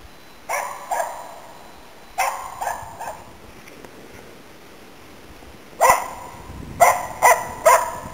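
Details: Autumn 2010 hunting barks from Nella, a Finnish Spitz helping hunt waterfowl and game birds in Inari, Finland: sharp barks in short bursts of two or three, separated by pauses of a few seconds.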